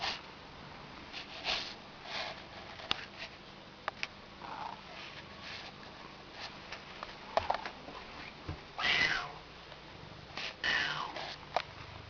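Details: Domestic cat indoors making odd calls that are not exactly meows, used when she wants someone to open a door; a few short harmonic chirps and a louder rising-falling call near the end, with light sniffing and shuffling noises.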